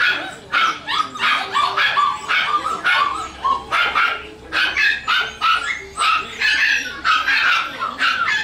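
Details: Havanese puppies give rapid, choppy barks and high yips in close bursts, nearly nonstop across the recording, with a faint background hum.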